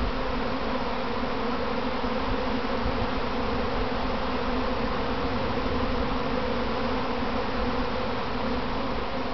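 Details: Kept honey bees in a practice swarm near their hive box, heard from within the swarm: a dense, steady, droning hum of countless wings with low throbbing tones, unbroken and even in loudness throughout.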